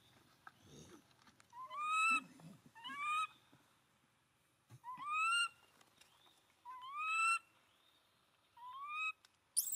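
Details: Abandoned monkey crying while hugging its owner's feet: a series of loud, rising, whistle-like wails with rich overtones, each about half a second long, coming in pairs with quiet pauses between and faint rustling in the background.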